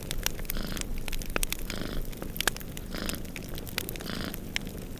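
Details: Two cats snoozing by a fireplace purr steadily, a low rumbling throb with soft rhythmic swells of breath roughly every second, while the fire crackles and pops sharply throughout against a snowstorm backdrop.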